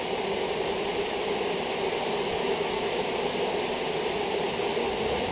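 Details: Steady, even drone of a honey bee colony affected by European foulbrood, a continuous broad hum with no breaks.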